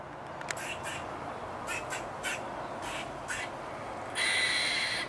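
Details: A squirrel gives its breakfast call: short, sharp chucking calls, then a longer, high squealing note over steady background hiss.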